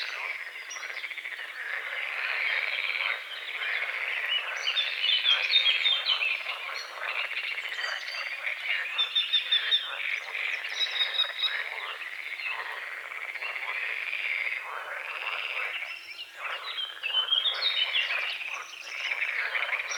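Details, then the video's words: Dawn frog chorus over a small lake at the forest's edge, morning fog on the water: continuous crackling croaks in overlapping bursts, with thin whistled bird notes rising clearly above the chorus around the middle. "The sounds of morning frogs croaking"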